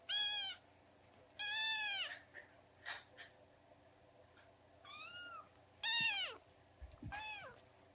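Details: Kitten being fed milk, meowing for the first time: five or six sharp, high-pitched harmonic mews, some falling at the end, spaced irregularly over eight seconds, with faint short rustles between them.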